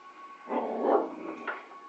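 A corgi gives a short, mid-pitched bark-like vocalization with a brief yip near the end.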